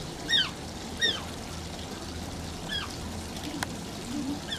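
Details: High-pitched, falling squeaks from an Asian small-clawed otter in a zoo enclosure at Oji Zoo. Three clear whines come in the first three seconds, then fainter ones, over a steady background of trickling water.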